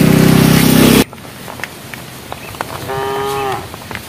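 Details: A cow from a herd walking on a project road, calling the herd: a loud noise burst at first, then quiet tapping sounds and one short, even moo near the end.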